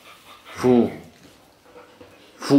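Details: A female rough collie gives two short, sharp, mid-pitched barks about two seconds apart at a radio-controlled kid's toy car indoors, treating it as an enemy and trying to get her owner's attention.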